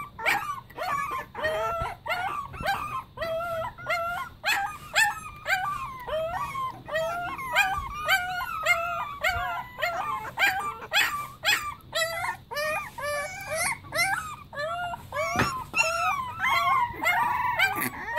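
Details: Group of Pembroke Welsh Corgi puppies singing, a dense chorus of short wavering howls, high yips and whimpers overlapping rapidly throughout.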